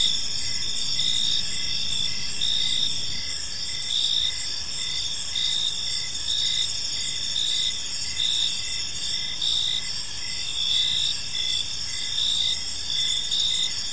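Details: Gentle chirping of many crickets as evening falls over a serene park; layered high trills run unbroken while shorter rhythmic pulses recur steadily throughout, nothing else standing out.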